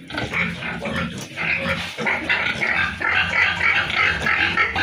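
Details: Piglets at a pig farm giving steady, crowded squealing, shrill cries repeated roughly every half second over a low grunting bed.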